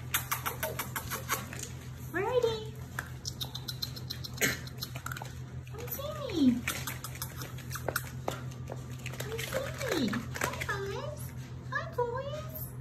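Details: German Shepherd, Labrador and Rottweiler mix puppies in one litter crying out in a few separate, drawn-out whines that slide downward, spaced several seconds apart, while people chat and a child speaks in the background.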